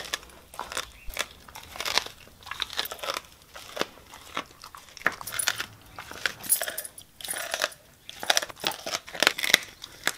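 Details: Siberian Husky eating raw meat indoors as a reward, biting and grinding bone: sharp crunching snaps in irregular bursts, dense clusters of cracks separated by short pauses, in a small quiet room.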